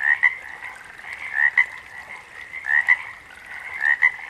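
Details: Frog chirping in pairs of notes, a rising squeak then a clipped pip, about every 1.3 seconds, over a faint ongoing chorus.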